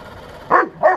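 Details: A Bernese Mountain Dog confronts a 1:16 remote-control tank, giving two loud, abrupt barks about a third of a second apart after a brief quiet start.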